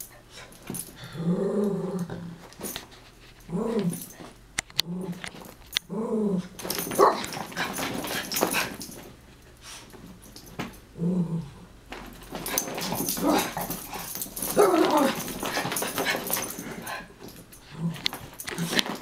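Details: Play-wrestling Chihuahuas, Taco and Santi, indoors: a series of low rumbling growls repeated every second or so, then a long stretch of scrabbling paws, panting and snorts with occasional growls.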